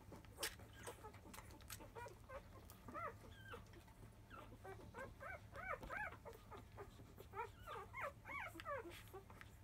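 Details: Newborn field-type Labrador Retriever puppies at five days old squealing as they start to nurse in early afternoon: bursts of short, bent whimpers and yips, clustered in the middle and end, with soft rustling and a steady low hum.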